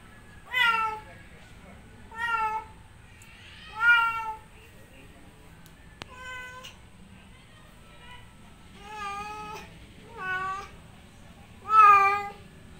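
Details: Male house cat in heat meowing loudly toward a female outdoors: a series of seven strong, slightly rising-then-falling harmonic meows spaced roughly every one to two seconds, with a sharp click midway.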